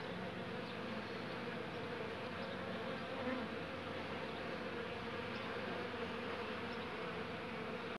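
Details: Worn-out elderly honey bee resting at the hive entrance after gathering, unable to get inside. It gives a continuous low buzz with a slight swell near the middle, otherwise unchanging.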